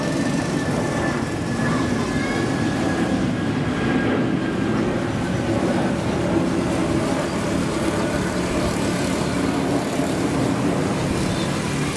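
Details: Loud, continuous train and vehicle rumble with a faint mechanical whine and muffled talk, no animal calls.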